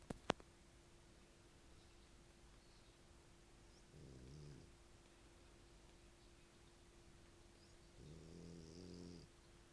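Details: Sleeping Italian dog named Ettore snores heavily; two deep, grating snores come roughly four seconds apart, separated by quiet, with a constant low hum and a small click near the start.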